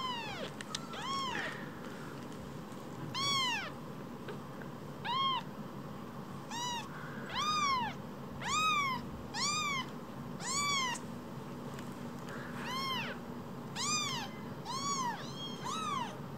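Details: A pair of rescued baby kittens, each about as big as a mobile phone, meow insistently: a steady run of bright, arched, rich-overtoned mews roughly every one to two seconds, about a dozen in all.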